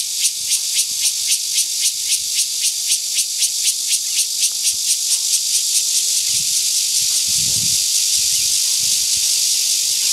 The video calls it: Cicada call, 蟬叫聲